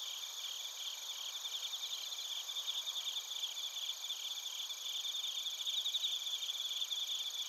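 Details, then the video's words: Chorus of crickets and bell crickets at Narita, Chiba Prefecture, Japan, on a TASCAM Portacapture X8 recorder. Steady, shrill, overlapping trills with a rapidly pulsed ringing layer that grows louder later. "スズムシとコオロギの鳴き声 - Chirping of crickets"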